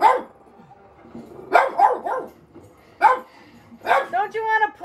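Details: Pet Boston Terrier/Pug mix indoors barking at dogs on television: scattered single and double barks at irregular gaps, ending in a whiny, tonal yelp, with a woman talking over the last part.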